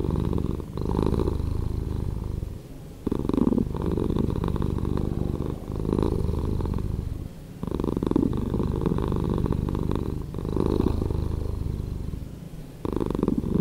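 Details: Domestic cat purring, slowed down for relaxation and sleep: a deep, rumbling low drone swelling in breath-like waves roughly every two and a half seconds, with brief quieter dips between each surge.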